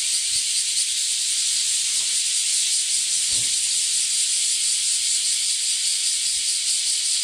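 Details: Loud early-morning chorus of many bear cicadas recorded while walking the alley outside a house; an unbroken, high, hissing drone with a fast shimmering pulse and a faint low thump partway through.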